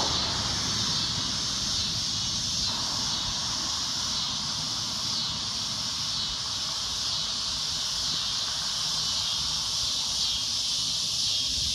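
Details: Shrill, droning cicada noise, continuous and loud, its high buzz carrying a quick, faint pulsing of about two beats per second over a low background rumble.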